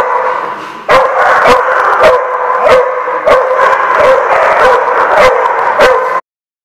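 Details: Barking dogs, dated 16 January 2016: steady overlapping barks and yelps form a loud, busy din, punctuated by sharp clicks about every half second, then stopping abruptly near the end.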